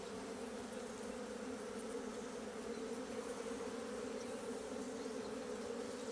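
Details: Asian honey bee colony in a hive opened on 26 September 2023, comb being dug out; a continuous low humming buzz, smooth and unvarying from start to finish.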